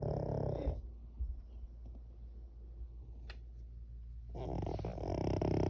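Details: Cavalier King Charles Spaniel in deep sleep, snoring: a loud, rasping buzzy snore opens the clip, followed by a few seconds of quiet breathing, then another long, harsh snore rises toward the end.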